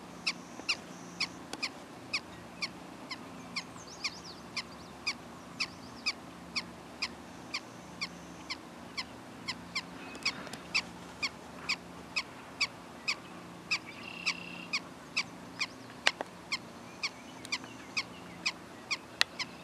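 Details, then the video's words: Prairie dog calling tirelessly for nearly twenty seconds: crisp, short chirping barks at a steady pace near two per second, over a quiet background with soft distant bird notes. "Prairie dogs"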